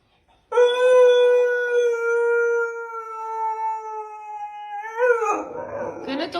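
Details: A pet dog's drawn-out howl, one clear sustained tone lasting over four seconds, dipping gently before a short upward waver and breaking into a rougher, noisy ending.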